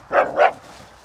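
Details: Samoyed dog giving two short, loud barks about a quarter second apart, each a full-bodied burst, then quiet background.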